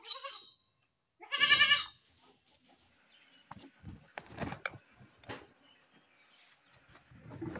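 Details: Goat screaming: one loud, harsh, strongly harmonic bleating scream lasting about half a second after a brief faint cry, followed by quieter scattered knocks, clatter and rustling noises.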